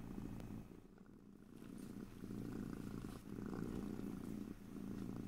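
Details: Purring cat in a stereo recording with no talking. A deep, vibrating rumble rises and falls in breathing cycles about every second and a half, quieter near the start, then louder and fuller.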